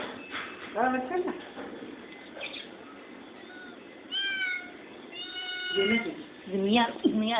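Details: Hungry kitten meowing indoors: several high, harmonic meows, some rising and falling, come in bursts through the clip, mixed with people talking and brief music.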